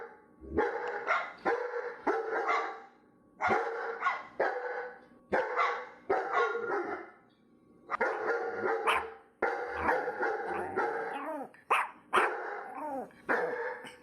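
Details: Dog letting out bursts of loud barks in clusters of three or four, separated by brief pauses, continuing for over ten seconds.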